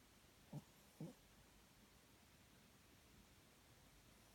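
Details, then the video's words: Papillon dog asleep indoors in an unusual position, snoring softly: two short low rasping snores about half a second apart, then a quiet pause before a third begins at the end. "犬パピヨン いびき"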